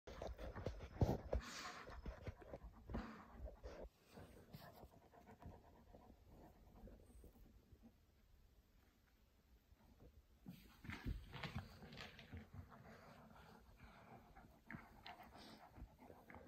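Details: Boerboel named Kimber, a pet dog trying to hide under a blanket indoors, panting softly in quick rhythmic breaths, roughly three per second, with low rustling of fabric and a few louder thumps near the start and middle.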